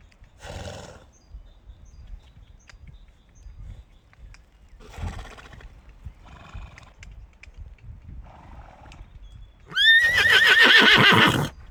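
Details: Horse letting out a few soft snorts and breathy blows, then a loud, quavering whinny that leaps up and shakes downward over about two seconds at the end.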